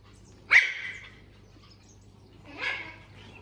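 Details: Puppy Puffyk, reacting to a laser pointer beside a kitten, gives two short high yips about two seconds apart, the first sharp and loud, the second softer and breathier, with a low steady hum underneath.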